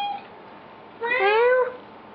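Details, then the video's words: One long rising meow from Odie, a cat being goofed around with indoors, swelling in the middle and held for about two thirds of a second, preceded by a brief tail of an earlier call. "Meowing Odie"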